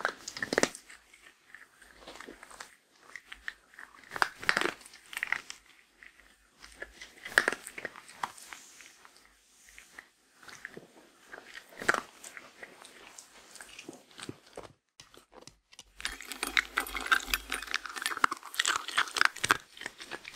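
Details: A female Shetland Sheepdog crunches her daily meal of grain-free lamb and kangaroo dry kibble in a quiet room, with sharp, irregular bites and chewing clicks.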